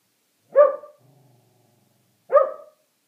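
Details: Sheltie barks aimed at a squirrel, two abrupt, forceful barks nearly two seconds apart, separated by a soft low rumbling growl in the quiet gap.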